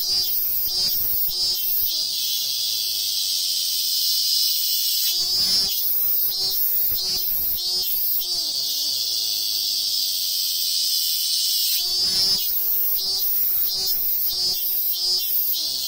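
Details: In the hills of Ehime, Japan, a robust cicada at a sacred tree sings bursts of rapid shrill pulses, each phrase trailing off into a long, smoother descending drone before the pulsing resumes, cycle repeating about every six seconds.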